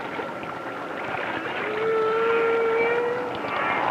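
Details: Humpback whale song, part of the full song, recorded by hydrophone in the Caribbean near the Virgin Islands from whales probably about 20 miles distant: long, moaning tonal units that slide slowly upward, over steady underwater hiss.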